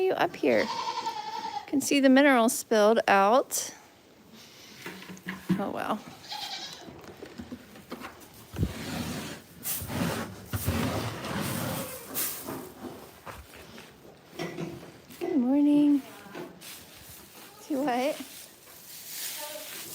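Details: Goats at The Willful Goat Farm & Home: a loud, quavering, wavering bleat near the start and another short bleat later, with people talking through much of the recording.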